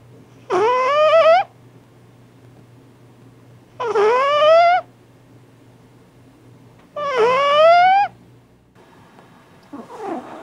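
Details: A sleeping cat snoring loudly: squeaky, whistling nasal tones that sweep upward in pitch, one breath sound about every three seconds, over a faint steady low hum indoors.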